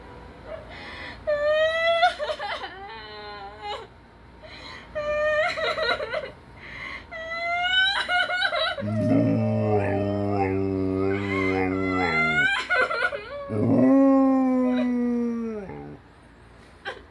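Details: A German Shepherd gives high, wavering whines that rise and fall, reacting to a lower, sobbing human crying sound.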